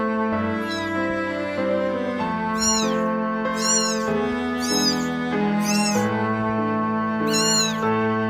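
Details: A kitten that was nearly abandoned gives high, arching meows in a repeated series over steady background music, crying desperately as if searching for human warmth, and calms once its head is stroked.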